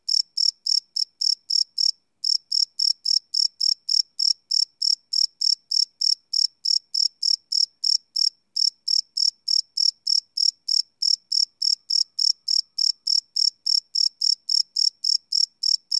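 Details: Crickets chirping at night, recorded live on a Sony PCM D100 field recorder: a steady run of short, high, bright chirps, roughly three to four per second, with a couple of brief pauses and nothing else audible.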